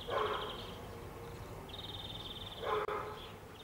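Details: A five-year-old female German Shepherd, recorded in 2008, gives two short, gruff barks about two seconds apart over a thin, high buzzing tone.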